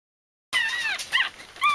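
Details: Bichon Frisé puppies in a litter whimpering: after half a second of silence, a few short high whiny squeals that rise and fall, with a faint steady background hiss.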